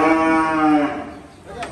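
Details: Cattle being taken to the shed on a cloudy day: a single loud, rich moo lasting nearly a second, holding steady then fading, followed by a brief quieter tail.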